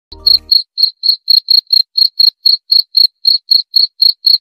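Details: Cricket chirping steadily: short, high-pitched pulsed chirps repeated about four times a second, roughly nineteen in a row, opening with a brief low thump.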